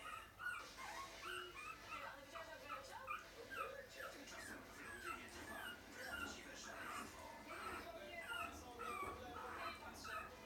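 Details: A group of puppies gives a steady stream of thin, falling squeals and whimpers, often overlapping, with voices and light background music throughout.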